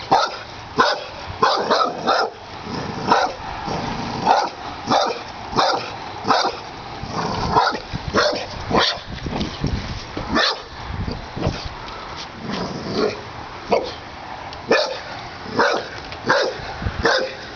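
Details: Pit bull in its yard barking at a snapping turtle, a strange guest it dislikes: sharp, harsh barks come about one or two each second throughout, irregular in spacing and loudness.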